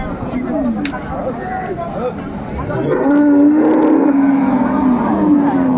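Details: Dairy cattle of an improved breed with calves at Ambari market in Dinajpur, 29 April 2024: a steady, level low moo rises out of crowd noise and chatter midway and holds for several seconds.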